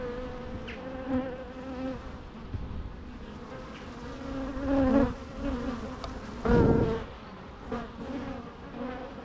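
Bees give a steady, droning buzz that swells louder as individuals pass close by.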